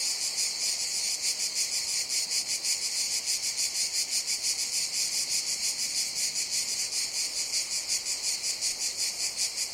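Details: In a summer jungle, cicadas produce a piercing, sustained buzz beating in quick regular throbs, near three per second, slightly uneven in loudness, with no other distinct sounds.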